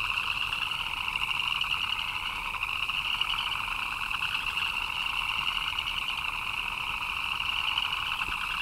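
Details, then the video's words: Frogs chirping in the rain: a dense, unbroken chorus of fast, trilling chirps in two steady pitch bands, one middle and one higher, with a soft hiss of rainfall beneath. "Frogs chirping in the Rain"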